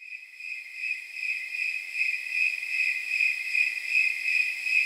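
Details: Snowy tree crickets at night, estimated around 79 degrees, known as temperature crickets: a steady, high jingling trill of chirps repeating at regular intervals, with no other sounds.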